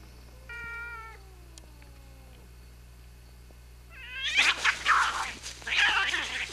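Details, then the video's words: Domestic cats, a mother and her grown son, in a serious fight: a long, steady, falling meow, then a harsh burst of overlapping squalls and yowls, loud and noisy. "Cat Fight"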